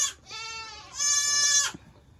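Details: Baby goats during the 2022 kidding season, kept indoors on a farm; two loud, high, buzzy bleats, the first short and the second longer and sustained, separated by a brief pause, with a quiet room in the background.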